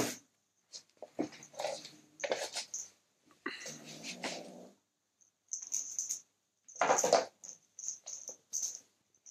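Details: Male kitten growling while guarding his toy as someone tries to take it; low, rough rumbling bursts broken by handling rustles and clicks, with a thin steady high tone in the background.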